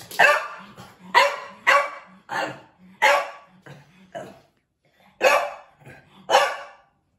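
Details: Pet French Bulldog, male, barking at a photo of a different French Bulldog: a loud run of six rough barks about half a second apart, a brief pause, then two more, with low huffing between them.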